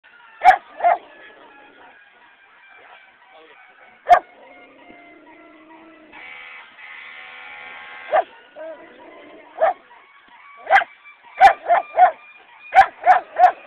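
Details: Dog at an annual parade, reacting to sirens it dislikes: sharp single barks, first spaced out and then coming in quick clusters near the end, over faint rising and falling siren wails and a brief buzzing tone.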